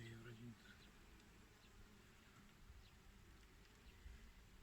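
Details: Italian honey bees (Apis mellifera ligustica) at an apiary on 8 April 2020, a colony opened for inspection without smoke at about 19 degrees; a low, steady droning hum fills the clip, with a brief human voice at the very start.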